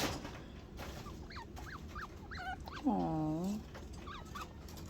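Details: A baby chinchilla, too big to stay with its mother and separated from her, cries for her with short, high, wavering squeaks repeated in quick bursts.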